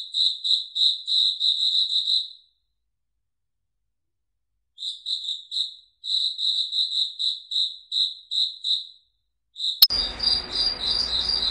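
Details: Night cricket song from a foggy forest: bursts of clear, ringing chirps at about three per second, broken by pauses. A sudden click near the end brings a rush of hissing background noise.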